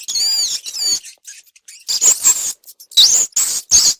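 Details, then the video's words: Rats recorded for a sound meant to attract cats: high, thin squeaks with wavering pitch, in short bursts at first, then a run of louder, clustered squeals after a brief quiet gap. "Rat Sound Effect - mouse sound effect-Sounds that attract cats"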